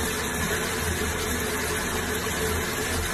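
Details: A steady, low mechanical hum like an idling engine drones on without a break, with no animal voice anywhere.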